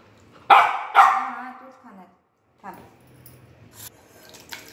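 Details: Three-month-old Golden Retriever puppy at home around feeding time gives two sharp, loud barks in quick succession with a falling pitch, followed by softer scattered noises and a brief human voice.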